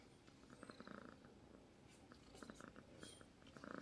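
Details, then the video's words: Sleeping cat purring softly, a quiet low rumble pulsing in short, regular bursts with brief gaps between breaths, against faint room hiss. "Purring Cats while sleeping"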